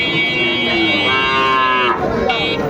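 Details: Moo from Sahiwal bull calves at a Dhaka livestock market, Bangladesh, 3 February 2025: a drawn-out bellow rising in strength mid-clip, mixed with background music and market talk.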